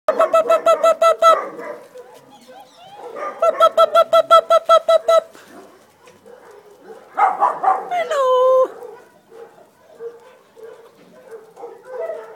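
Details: Dachshund puppies with their mother, August 2011: bursts of rapid, evenly spaced high yelps, two runs of about a dozen each, then a short whine sliding downward, with quieter whimpers afterwards.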